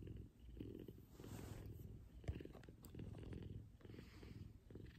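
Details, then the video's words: Big F2 Savannah cat named Kumba purring loudly in the morning while cuddling with its owner; a soft, steady low rumble with a rapid pulsing texture that swells and fades with each breath, plus a brief faint rustle near the middle. "Soothing Purrs And Cuddles. Big F2 Savannah Cat Kumba."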